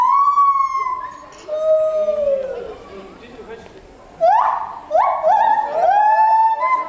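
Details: Gibbons singing 14 m up at Asahiyama Zoo, Japan, on 24 July 2014, an 'opera concert', filmed with a FinePix Real 3D W3S camera. Long, sustained whistled notes slide downward, then sharp rising swoops repeat in quick succession.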